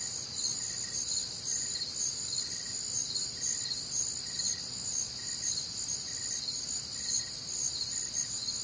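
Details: Nocturnal crickets recorded on a humid Midwestern summer night, many callers blending into a continuous high, ringing trill, with fainter short beeps repeating about two per second.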